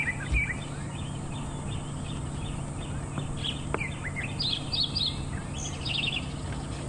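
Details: Dwarf mongooses give high, sharp chirping alarm calls from the base of a thicket by a drainage line on a Sabi Sands morning safari drive on November 13, 2015, possibly with a leopard nearby, over a low engine hum.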